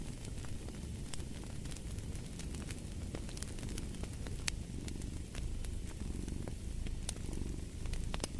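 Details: Soft low cat purring rumbles beneath frequent crackling and popping of a fireplace fire, the fire sounds fairly prominent throughout.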